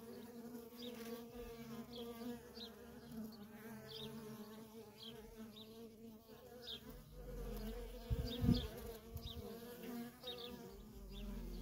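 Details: Worker honey bees in nonstop traffic at a feral colony: a dense, steady buzz with strong bands of humming, individual bees zipping past with brief higher whines, and a low thump or rumble near the eighth second.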